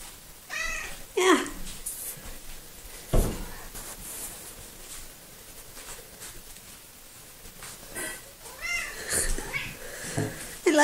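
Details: Talkative little female cat Coco meows repeatedly in a home, several short harmonic calls, some falling in pitch, spaced through the recording and interleaved with human speech and a few soft knocks.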